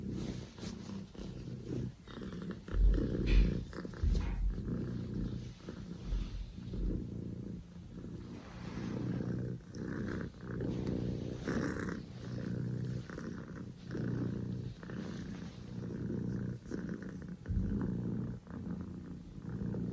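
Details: Poko J, a Scottish Fold kitten born 15 October 2019, purring hard and loud: a deep pulsing rumble rising and falling with breathing roughly every one and a half seconds, with a few thumps and rustles.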